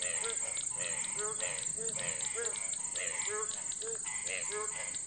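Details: Indian frogs calling at night around nine o'clock during light drizzle: short, throaty croaking notes repeated about twice a second, with a steady high insect whine running behind them.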